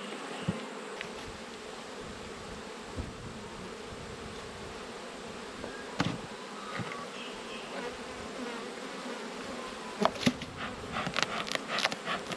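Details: Honey bees humming steadily in a low droning band during an autumn hive inspection, as the keeper moves from one of twelve hives to a weak colony; sharp clicks and knocks of frames and equipment break through, clustering near the end.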